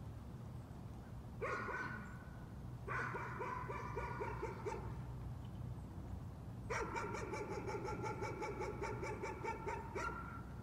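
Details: A dog keeps up nuisance barking: a brief bark, then a run of quick yaps, then a longer rapid volley, heard over a low traffic-like rumble.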